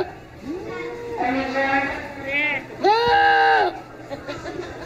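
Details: Goat bleats: two wavering, nasal bleats with a lower drawn-out cry between them, over a murmur of background chatter.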